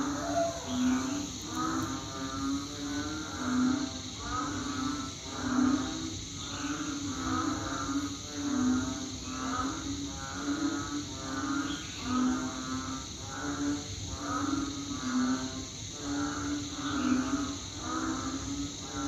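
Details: Banded bullfrogs (Kaloula pulchra) give deep, nasal, lowing calls, repeated about every second in a loud chorus, heard at night from around 7 to 8 pm after rain, sounding like rice fields.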